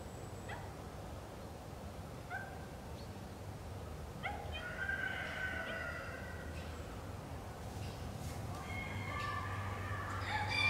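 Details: Captive Northwestern wolf at Wildfreigehege Nöttler Berg, Saerbeck, giving a loose series of short, high yips and wavering whines that rise and fall. A low rumbling background noise grows louder toward the end.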